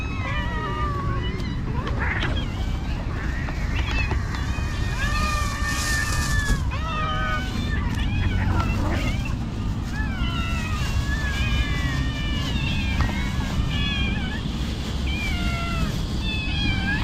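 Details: Several cats meow while being fed by a person. Many overlapping wavering meows come in quick succession, and a constant low rumbling noise runs beneath them.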